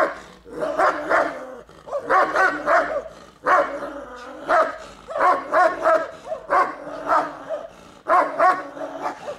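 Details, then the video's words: Turkmen Alabai, the Central Asian Shepherd Dog, undergoing a guard test of its territory-defence instinct, gives heavy, harsh barks in clusters of two to four, separated by brief gaps and sometimes drawn out into growling tails. "Turkmen Alabaj guarding TEST 9 - Central Asian Shepherd Dog"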